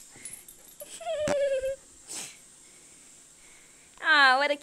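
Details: Playful female Siberian Husky puppy: a short level whine early on, a quiet gap with faint rustling, then a loud, wavering, harmonic yowl near the end.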